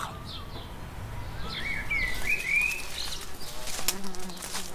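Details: Many bees forage for days on a flowering ceanothus (California lilac) shrub in a garden, making a steady low buzzing hum, with a brief whistled bird note partway through.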